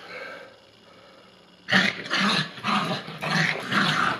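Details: Bichon Frise pair in teasing play, one dog held on a leash; after a quiet start, rhythmic growling barks come about twice a second, harsh and broadband, each burst short and punchy.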